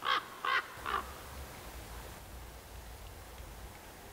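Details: Roe deer from a small herd of young bucks and does: three short, harsh, hoarse barks in quick succession within the first second, then quiet with low background rumble.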